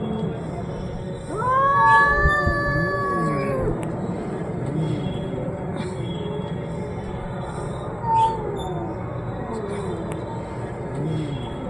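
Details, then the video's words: Cats arguing: a drawn-out, wavering yowl rising then sagging over about two seconds, followed by lower, softer moaning calls rising and falling, with a faint hum in the background. "The sound of cats arguing"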